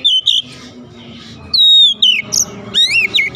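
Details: Home-kept Oriental magpie-robin gives short clear whistles, then a long pure descending whistle followed by quick twisting slurred notes; soft background murmur.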